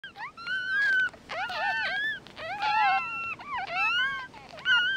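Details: Newborn mixed-breed puppies, eyes not yet open, cry in overlapping high whines that slide up and bend down, several voices at once, in short bursts with brief quiet gaps.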